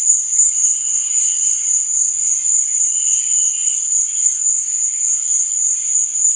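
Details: Steady, ringing high cricket chirping at night, unbroken throughout, with soft, lower trills swelling briefly beneath it.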